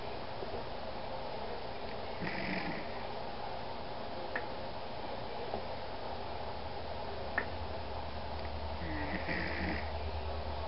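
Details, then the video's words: Snoring from Alphie, a 14-year-old rescue Pomeranian, resting indoors: two soft rasping breaths roughly seven seconds apart with faint clicks between, against a constant low hum. "So my dog snores..."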